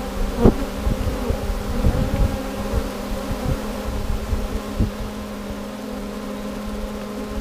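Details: In 2017, a honey bee swarm, the third caught that day, hums in a steady, low, droning buzz with a few knocks and thumps as the sheet is knocked down and the limb cut to drop them into a box.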